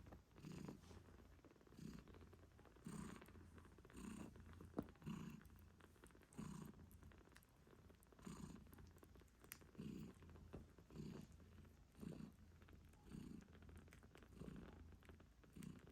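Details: Mother British Shorthair cat purring steadily while caring for her 8-day-old kittens; a soft, rhythmic rumble rising and falling with each breath, heard up close in a quiet room.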